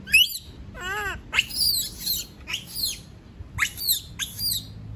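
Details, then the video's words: Monkey screaming because it does not want to be left alone: shrill, high-pitched cries sweeping downward in short bursts, plus one lower wavering whine, repeated about a dozen times over five seconds against faint background hum. "Sound of monkey scream doesnt want to be alone, suara monyet teriak tidak mau di tinggal sendirian"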